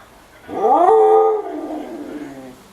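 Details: A pet female husky asks for food with a drawn-out vocal moan. It rises sharply and holds a steady, clear tone for nearly a second, then sinks and trails away into a softer, lower ending.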